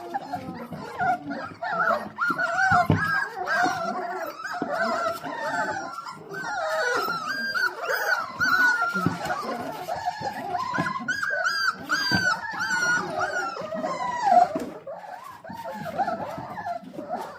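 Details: A litter of four-week-old Dalmatian puppies impatiently awaiting their dinner: sustained, quavering high whimpers and drawn-out whines from several pups overlap throughout, with occasional sharp yelps.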